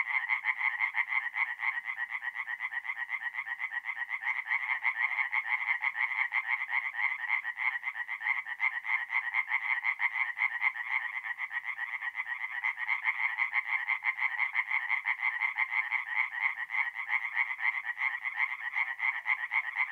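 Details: Mid-April night at a forest pond in north-east Italy, where many tree frogs call together: loud, rapid rasping croaks, roughly two per second, layered into a thick continuous chorus lasting the whole stretch.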